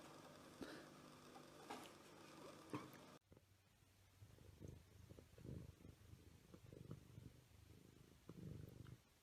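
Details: Domestic cat purring: a low, rough rumble of rapid pulses that swells and fades in soft waves, following a brief burst of brighter, noisy clatter at the start.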